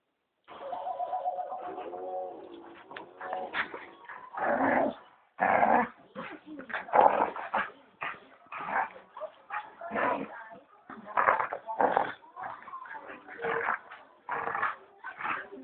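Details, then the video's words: Dogs in a fight: a whining, whimpering tone at first, then a rapid series of harsh, loud barks and yelps in irregular bursts that continue to the end. "Dog Fight"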